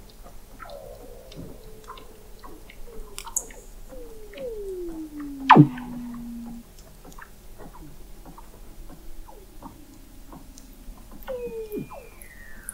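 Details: Weddell seals under thick sea ice in McMurdo Sound, Antarctica, recorded in November 2017 by the McMurdo Oceanographic Observatory 21 m below the ice: descending gliding whistles, a loud steep downward sweep, a steady low tone, and scattered clicks.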